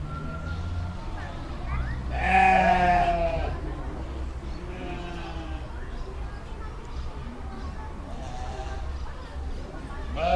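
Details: Domestic sheep bleating over steady low rumble; one loud wavering bleat near the middle with rich harmonics, fainter bleats from other sheep before and after, and a short call at the end.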